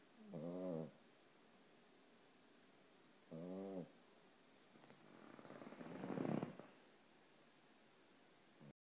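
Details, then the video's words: A one-year-old Boston Terrier dozes and snores. Two short, low, buzzing snores about three seconds apart are followed by a longer, louder, breathier exhalation that swells and fades, then a brief click. "Snoring Boston Terrier"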